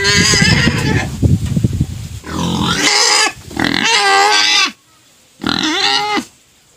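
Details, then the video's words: Pet pig crying insistently, a noise that ends when sugar cane is offered: low rough grunting blending into high, shrill, harmonic squeals, repeated in long bursts with brief breaks. "Crying pet pig finally shuts up after being fed sugar cane"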